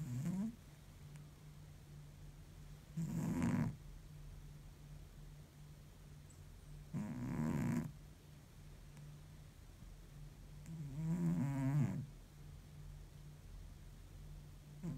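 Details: Exhausted domestic cat snoring in deep sleep: low, rough snores with a gurgling rasp, four drawn-out breaths roughly every four seconds over a steady low background hum.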